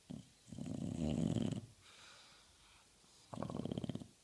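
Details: Indoor bulldog asleep on a couch, snoring heavily: a loud, wet, rattling inhaled snore lasting about a second, a softer wheezy breath, then another pulsing, vibrating snore.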